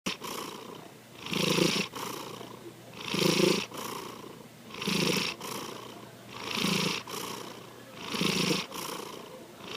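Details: Sankichi, a pet cat, snoring while asleep: rhythmic rasping breaths roughly every 1.7 seconds, each a swelling, throaty inhale with a softer airy exhale, steady and unhurried.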